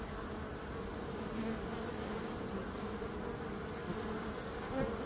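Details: Steady swarm-like droning of bees, a thick low buzz with a constant texture and faint higher hiss, with no breaks across a few seconds.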